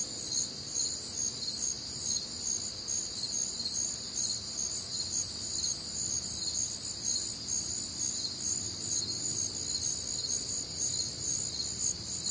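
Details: Crickets calling through a warm, humid summer night in the Midwest, rapid high chirps from many insects stacking into a steady, glittering wall of sound with faint distant low noise.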